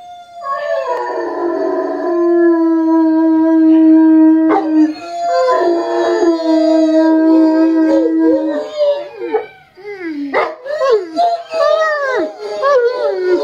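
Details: English Mastiff howling in response to a siren, a long steady held tone for several seconds, then wavering, rising and falling yips and howls breaking into shorter choppy cries toward the end.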